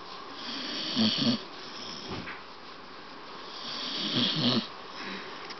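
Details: Staffordshire Bull Terrier named Bailey, awake yet snoring: rhythmic, gravelly snorts come in paired bursts roughly three seconds apart, with softer hissing breaths in between.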